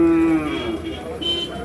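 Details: Bull calves for sale at Kollannur market, Kerala, India: a sustained tonal moo opening loud then slowly falling and fading, with a later higher tone and faint market chatter behind.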